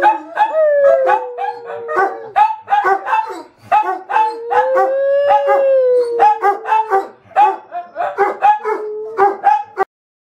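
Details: Dogs howling: drawn-out tones that rise then sag slowly, broken up by repeated short yips and barks in quick bursts, ending abruptly.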